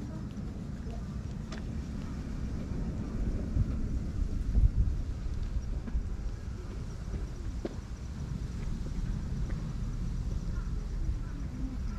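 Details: Outdoor low-frequency rumble like wind or traffic, with a few faint clicks and no animal voice.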